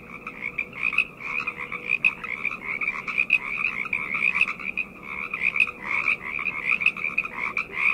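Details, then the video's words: Night chorus of numerous frogs, their rapid trilling croaks overlapping into an unbroken pulsing wall of sound, rising and falling in loudness every second or so. "Frog Chorus - Night Ambient Sounds"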